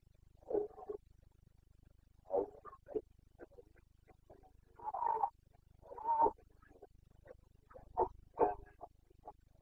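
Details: Carpathian red deer stag roaring during the breeding season in Bucovina, 29 September 2022; a series of hoarse, grunting roars in bursts of about half a second, several groaning calls across ten seconds.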